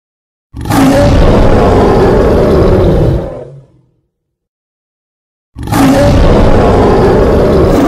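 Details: A wild lion gives a deep, rasping roar that swells and fades, then comes again after a silence.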